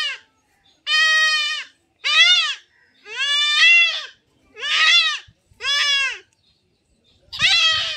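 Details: Goat bleating during castration in a village setting: a steady series of seven loud, nasal, wavering bleats, each under a second, spaced roughly one second apart, with little else audible.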